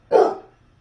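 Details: Single loud, deep, abrupt bark from a Basset Hound indoors during a stand-off between Mama and Oliver over a dog bed, Mama barking back to get him out; the bark is short and full, fading quickly into quiet.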